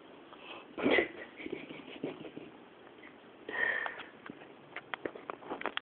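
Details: A Labrador Retriever sleeping indoors at 2 a.m. snores with breathy, rasping snorts and faint sniffs between them.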